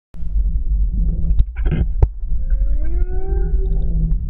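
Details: Whales, including a calf, recorded underwater off Tahiti Iti on 29 October 2014, singing smooth rising tonal moans with harmonics over a deep rumble.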